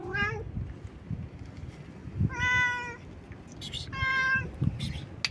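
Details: Stray cat meowing loudly and nonstop: a short rising meow followed by two long, steady, strongly harmonic meows about a second and a half apart, over low rumbling background noise.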